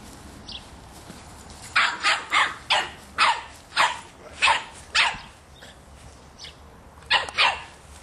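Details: Three-and-a-half-month-old Boston Terrier puppy yapping at a soccer ball: a run of about ten rapid, loud, high barks, a pause, then two more barks near the end.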